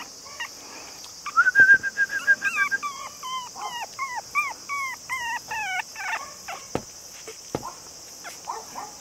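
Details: Male long-haired Chihuahua puppy, cream and white, 48 days old and about 480 g, in Nara, Japan, on 2 September: a rapid run of high, wavering whimpers, many with a rising-then-falling bend, over a steady high-pitched hiss.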